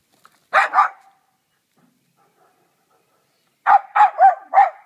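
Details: Two dogs, an 8-month-old husky/corgi mix and a 2-year-old short-legged Jack Russell Terrier, playing ball and keep-away; two quick barks, a long pause, then four sharp barks in rapid succession.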